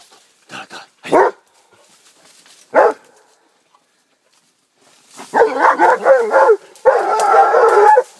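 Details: Rhodesian Ridgeback, 15 months old, with a wild boar: a few sharp barks, then a run of dense, rapid, harsh yelping and squealing calls in two long bouts, with a man's urging voice nearby.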